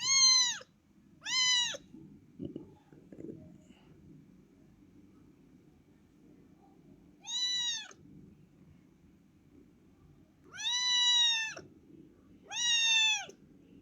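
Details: Small kitten that has turned up at a family's home, giving five high, clear, slightly arched meows, each under a second, in two pairs and a single separated by quiet gaps; faint low background hum and a couple of soft knocks.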